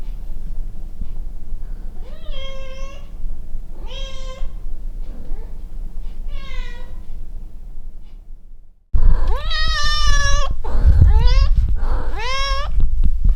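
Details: Cat under an air conditioner turned on once the weather gets cold, meowing repeatedly: three softer, drawn-out meows, then after a break a louder burst of four insistent, bending meows over rumbling room noise.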